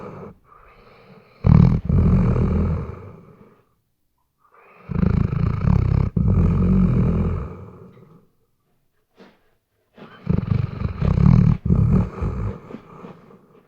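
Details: Snoring Weimaraner in deep sleep, RODE NTG3B microphone: three long, low, raspy snoring breaths spaced about five seconds apart, each swelling and then dying away, with a faint snuffle between the second and third.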